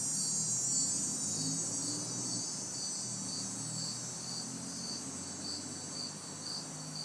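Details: Summer night in a city backyard, hot and humid, with crickets and cicadas: rapid, regular high chirps set against a continuous shrill insect hum, plus a low hum of distant traffic.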